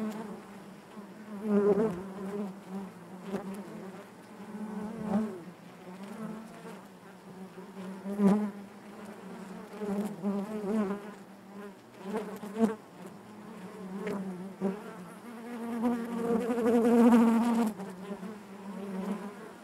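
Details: Many honey bees droning within the hive, a low continuous buzz with stacked overtones that rises and falls, growing loudest and fullest near the end.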